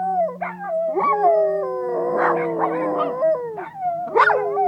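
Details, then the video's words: Pet dogs in Nome, Alaska, howling along to the noon time siren: several overlapping drawn-out, wavering howls, some gliding upward then falling, with a steady low siren tone beneath and brief yips near the end. "singing dogs"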